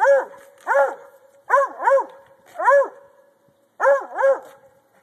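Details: Pet Treeing Walker Coonhound barking at a log, treeing for as long as allowed; a steady run of ringing, rise-and-fall barks, often paired, about seven barks over five seconds with short gaps.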